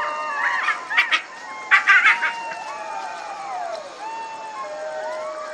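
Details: Overlapping jackal wails rising and falling in long, swooping glides, broken by a few short, harsh, noisy bursts.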